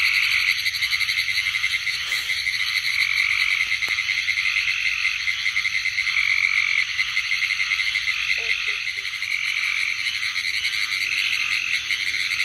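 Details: A dense, steady chorus of pine woods treefrogs (Hyla femoralis) calls in rapid, high clicking notes. Pine woods treefrog.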